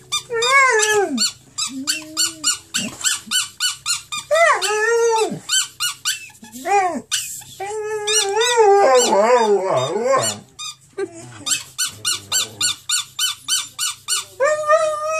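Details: Saluki Harley in a near-howl: a run of arched, whining cries, some long and wavering, others short and clipped, alternating with rapid high squeaks and a constant low hum.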